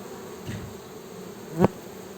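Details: Honey bees buzzing: a steady low hum with an overtone above it, continuous throughout, and a sharp brief click near the end.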